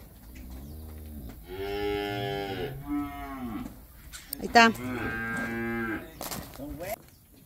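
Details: Bawling calves in Campeche, Mexico, on 20 August 2022: two long, rich harmonic moos, the first rising then falling, the second strained and wavering, with a sharp knock between and faint human voices.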